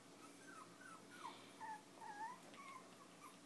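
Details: Five-week-old Chinese Crested puppies playing and nursing with their mother while fostered from an animal rescue: faint, thin whining squeaks that slide up and down, several in a row, over a low steady room hum.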